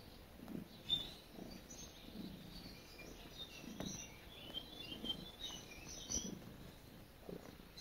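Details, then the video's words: Cat purring while kneading, a soft low rumble that swells and fades in regular breath-timed bursts, with small birds chirping faintly and high in the background. "Cat Making Biscuits And Purring"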